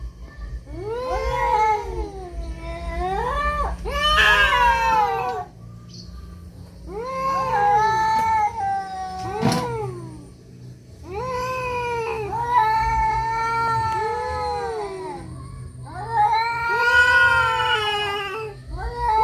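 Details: Domestic cats fighting, trading long, wavering harmonic yowls that rise and fall, arriving in about five drawn-out bursts separated by short pauses, with a faint low hum underneath.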